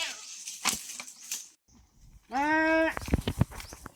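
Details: A farm goat, one of a herd in very hot weather, gives one loud harmonic bleat lasting about half a second after a stretch of human speech and clatter.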